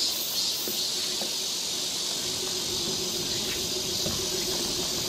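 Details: Summer cicada chorus on a forest trail in Seoul, Korea: a steady sizzling high drone, with faint low murmur and scattered soft knocks underneath.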